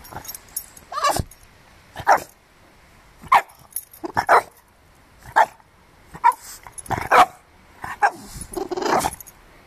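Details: A French Bulldog puppy protecting his garden gives a run of short, husky, mid-pitched barks, spaced irregularly and often doubled, with little else heard between them.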